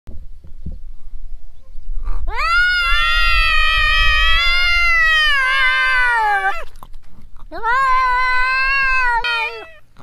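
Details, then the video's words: Cat giving two long drawn-out meows, the first lasting about four seconds and slowly falling in pitch, the second shorter, both strongly harmonic and wailing, with low rumbling handling noise before the first call. "Cat I love ❤️ this cat sound"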